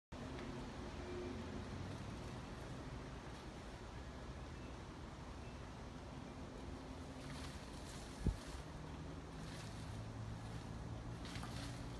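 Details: Steady wind and rumbling outdoor noise throughout, with one sharp click near the end and no animal voice.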